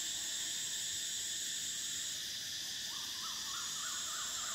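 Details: Cicadas in summer: an unbroken, sizzling high drone, the uppermost tone fading halfway through, joined near the end by a rapid run of rising, looping chirps lower down.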